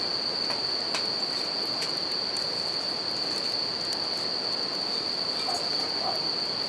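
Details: Steady bell cricket song, a sustained bright ringing pitch, heard in nature in Japan next to a river and campfire; water noise dominates underneath, punctuated by intermittent fire crackles.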